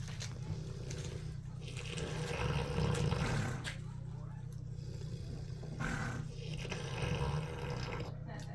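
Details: Pig snoring while sleeping at a zoo in Temecula; a deep, rough, continuous low rumble swelling and easing in long waves, with speech and scattered clicks and knocks over it.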